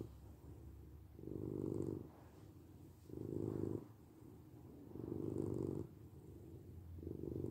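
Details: Domestic cat purring, recorded for sleep and relaxation: low rumbling pulses in long swells about two seconds apart, alternating louder exhale-like bursts with softer quieter stretches, steady and unbroken throughout.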